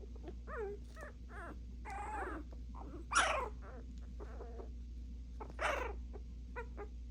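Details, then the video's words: Puppies barking back and forth. Whiny harmonic yips and short squeals give way to two loud, harsh barks about two and a half seconds apart, with softer yaps between, over a constant low hum. "PUPPIES BARKING AT EACH OTHER !!!"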